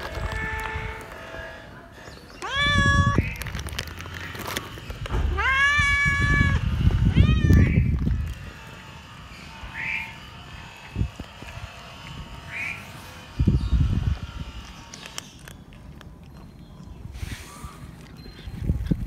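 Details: Scared stray cat meowing for more food: one short meow, then two closely spaced longer meows amid thumps and rustling, followed by faint distant mews and bumping noises.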